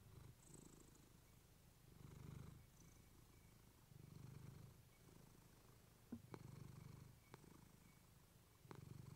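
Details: Female pet cat named Clementine purring into a fluffy microphone: soft, deep pulsing purr rising and falling in cycles of about two seconds, interrupted by a few crisp clicks near the end.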